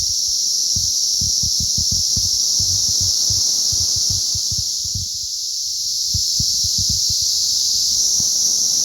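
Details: Swarm of cicadas during their May 20th 2034 hatch fills the air with a loud, steady high-pitched whine, while quick low thumping taps come in short bursts below it.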